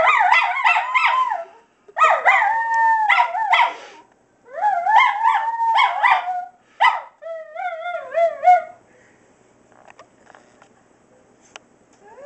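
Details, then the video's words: Miniature Schnauzers Duke and Duchess give quick broken howls and yips in rapid bursts, then a wavering trill-like howl that fades to near silence after about nine seconds. "Mini Schnauzer Howl"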